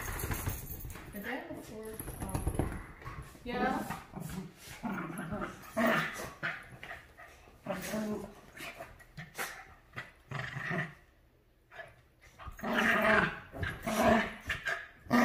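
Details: Havanese and Maltese dogs, Clam and Bella, playing indoors and fighting over the couch. Irregular growls and grumbling vocal bursts come in uneven clusters, mixed with human speech throughout.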